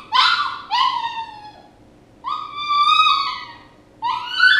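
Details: Loud, close puppy whining: short sharp cries, a long sustained wavering whine, then another rising squeal, with quiet gaps between.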